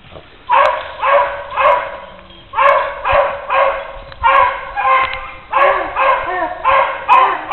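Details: Puppy escaping from a cage gives short, bright barks in quick runs of two or three, with a pause in between and faint background noise.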